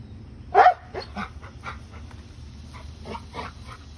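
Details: Dog chasing a squirrel gives one sharp, loud bark, then a run of softer, short, broken yaps and huffs over a low background rumble.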